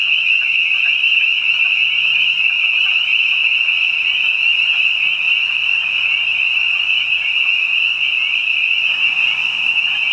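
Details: Spring peepers joined by other frogs in a spring night chorus behind a house, countless shrill peeping notes blending into a loud continuous high-pitched ring, with a faint low hum underneath.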